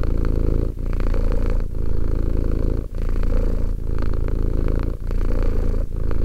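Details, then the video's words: Two-year-old domestic cat purring up close: a steady, deep rumbling vibration, broken by brief pauses about once a second as the rhythm shifts between in and out breaths, with no other sounds. "One hour of quality cat purring"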